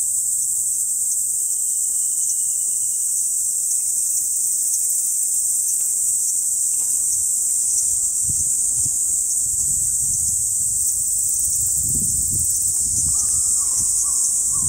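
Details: Kaempfer cicada (Platypleura kaempferi), song.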